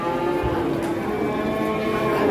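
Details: Very large cattle offered for sale by live weight in Indonesia, with one lowing in a steady, droning moo over a noisy background of voices.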